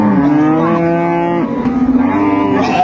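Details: Dairy cow or calf at Ambari cattle market in Dinajpur, Bangladesh, 25 August 2025; one long, steady, deep moo with rich harmonics lasting nearly three seconds, with faint market noise behind.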